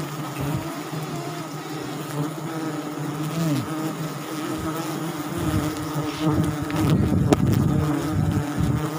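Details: Wild forest honey bees swarming at a sialang nest tree in South Sumatra during a honey harvest; a dense, continuous low buzzing with steady droning tones, growing louder and more turbulent toward the end.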